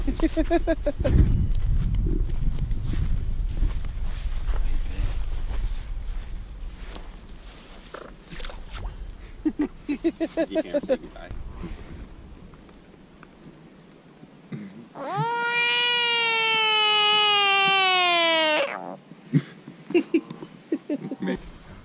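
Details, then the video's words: American bullfrog caught by hand during catch and release, held and then set down. A loud, harmonic, slightly falling wail lasts about three and a half seconds, with voices talking before and after it outdoors. "Screaming bullfrog"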